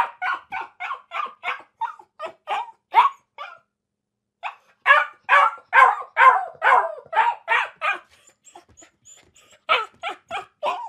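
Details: A dog barks in a fast, fairly even series of harsh, mid-pitched barks, about two per second, pausing briefly near four seconds before resuming with louder, longer barks.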